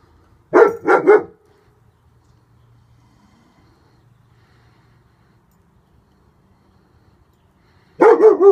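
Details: German Shepherd, a male with a bandage on his back leg, barking while protecting: a quick double bark near the start, then quiet with a low hum, and another burst of barks at the end.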